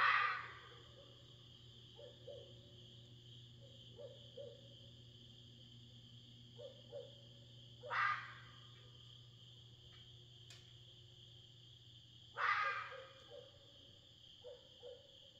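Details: Red fox screaming outside in the middle of the night in Tennessee's Smoky Mountains; three harsh, raspy, short screams spaced several seconds apart, with faint soft calls between and a steady low hum.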